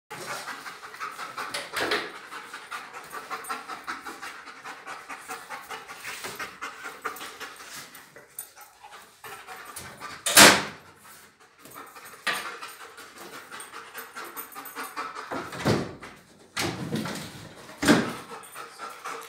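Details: A one-year-old German Shepherd Dog panting in steady breathy rasps, broken by several sharper, louder bursts of breath at irregular intervals.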